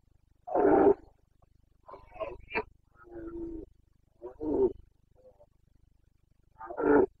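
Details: Rutting Carpathian red deer stag in the Bucovina mountains of Romania, September breeding season: a series of hoarse, grunting roars, strong at the start and end with weaker rasping bellows between, spread irregularly over several seconds.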